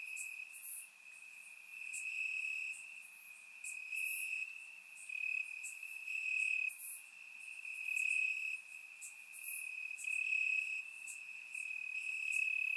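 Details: Crickets chirping in grass on a warm summer night in Bulgaria, recorded in surround sound: a steady high trilling band pulsing in long phrases, with several other faint higher insect chirps layered above.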